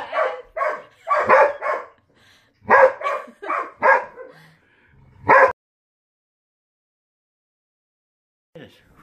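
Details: Border Collie named Storm barking at his new ball, which he will not touch: about eight clipped barks in uneven bursts over five seconds, then silence.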